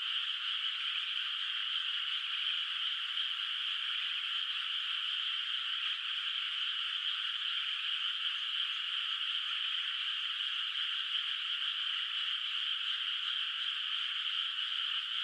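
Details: Distant frogs chorusing through the night across a moonlit, still-unplanted rice paddy: many overlapping rattling calls merge into a constant, even, high shimmer that never pauses or changes in strength.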